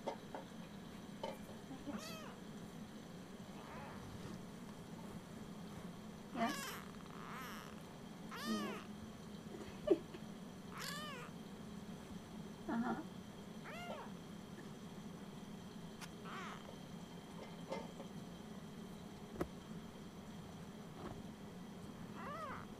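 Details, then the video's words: Ursa, an almost four-week-old Siamese kitten, woken early in the morning and chatty: a run of high, arched, harmonic mews, about a dozen spread over the stretch, some short and some drawn out, over a steady low indoor hum. "Ursa the chatty 4 week old kitten."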